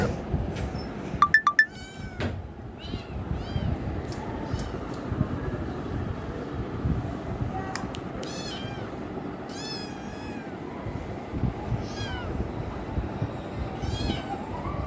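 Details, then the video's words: A kitten wanting love, its high arched meows repeating through the middle and end, several short overlapping cries in quick succession, with clicks near the start over a steady low rumbling background. "Cute kitten wants love"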